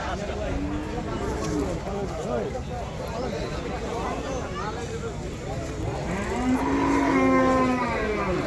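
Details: Cattle for sale at Patiljhap market, one animal giving a drawn-out low moo near the end over constant crowd chatter and market noise, with another fainter moo earlier.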